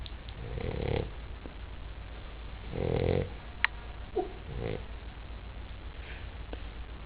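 A Basset Hound snores in low, rough, rumbling breaths, each lasting about half a second.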